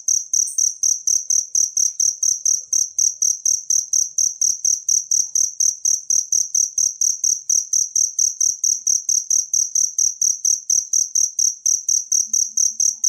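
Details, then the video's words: Cricket in the wild, used as master training audio for songbirds: a steady, high, shrill chirping pulsing about four times a second without pause, with a faint low thumping underneath. "suara jangkrik alam"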